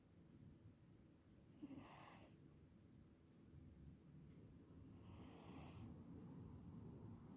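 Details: Scottish cat, a Scottish Straight, asleep and snoring in the sun; two soft, airy breathy snores roughly three seconds apart over a low steady rumble.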